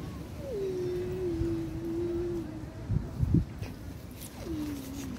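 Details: Kitten screaming during a squabble among fed street cats: a long, sustained, slightly falling low wail lasting about two seconds, a brief thump, then a second wail starting, with low background rumble.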